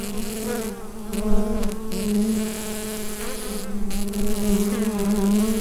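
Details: Hive full of bees captured on a Rode NT-USB microphone, giving a continuous low hum with stacked overtones. It wavers gently in pitch and loudness, with a short brighter rustle early on.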